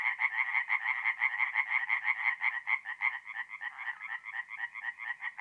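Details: Rapid pulsed croaking of a tree frog at a forest pond by night, north-east Italy, mid-April; a steady run of about three harsh nasal croaks per second continuing throughout, with other frogs faintly behind.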